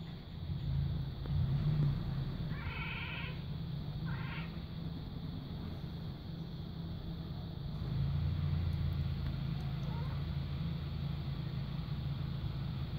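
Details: Henry, a domestic cat on a roof, mimics a bird with two brief bursts of stacked, bird-like chirps close together, then goes quiet, over a constant low traffic-like rumble.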